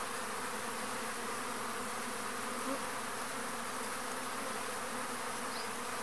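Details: Pollinating arapuá bees (Trigona spinipes) working a pumpkin flower; a constant low hum with several stacked drone tones runs throughout, steady in volume, over a wide background hiss.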